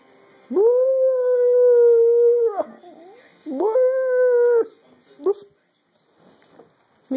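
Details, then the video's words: During a pack-howling session with its owner, Jaffa the dog holds two steady, level howls, one about two seconds long and one about one second, followed by a brief yelp. "Jaffa and I indulge in some pack howling"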